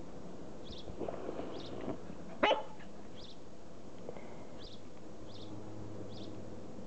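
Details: Two-month-old Border Collie puppies, offspring of Pam and Sky, playing. Soft scuffling and low grumbling sounds lead into one sharp, loud yelp-like bark near the middle, followed by quiet background and faint, evenly spaced high chirps.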